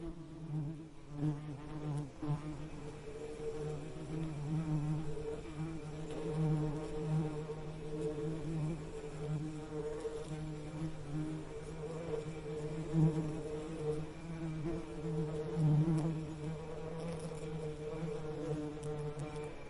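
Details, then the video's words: Continuous bee buzz, a low droning hum with layered harmonic bands, wavering slightly in pitch and volume throughout, with occasional louder surges. "Soothing Bee Buzzing Sound"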